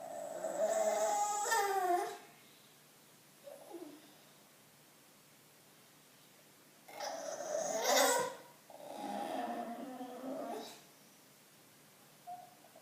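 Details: Bulldog seeking attention, producing two long bursts of snorting, whiny, harmonic grunts, the first around two seconds long and the second about four seconds with a brief break, plus a few short soft grunts in between and near the end.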